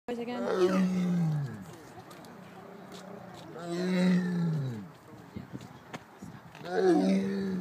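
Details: Tiger "talking" at the Greater Vancouver Zoo: three deep, moaning calls that rise then sag in pitch, each about a second long and spaced roughly three seconds apart, with quiet background between them.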